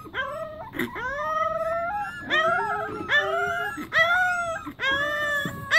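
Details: Several Pembroke Welsh Corgi puppies howling together in a chorus, overlapping whining tones that rise then level off, each held about a second, with short breaks between phrases.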